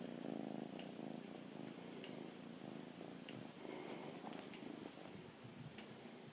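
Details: Contented rescued cat purring, the rumble softer and more broken than usual, trailing into uneven low pulses, while sharp clicks keep sounding at intervals of roughly a second.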